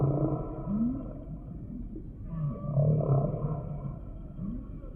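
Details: Humpback whale song: low groaning moans near the bottom of the range, with short rising upsweeps and murmuring mid-pitched tones that swell and fade across five seconds.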